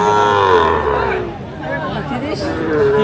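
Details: Sahiwal bull calves for sale at a cattle market in Madaripur, Bangladesh, 30 November 2024; a drawn-out moo sinks in pitch over the first second, a second lowing rises near the end, amid buyers' bargaining chatter.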